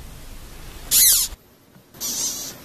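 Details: A caterpillar gives two short, high, hissing bursts with a faint whistled edge, separated by a moment of silence; the sound is made by compressing its body while exhaling air through it.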